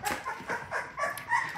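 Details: Labrador Retriever puppies, six-strong litter, feeding from their standing mother indoors; rapid high squealing whines in quick bursts about every quarter second, loud and close, with shuffling underneath.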